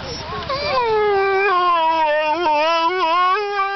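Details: Saluki dog howling while waiting for lure coursing: a long, sustained, wavering tone with rich harmonics, sliding slightly downward then holding steady with small quavers throughout.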